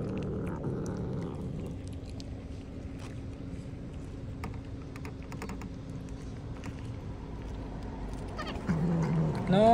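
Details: Hungry cat outdoors, eating cut fish, with a low murmur of meowing early on and then a loud, drawn-out rising meow near the end. A steady hum of traffic and scattered clicks run underneath throughout.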